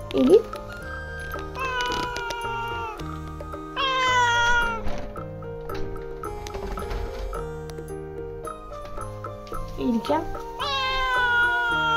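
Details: Russian Blue cat, a pet, protesting with meows as her owners get ready to go out, usually when hungry; three drawn-out, falling meows spaced through the stretch over steady background music, with a woman speaking softly in Japanese.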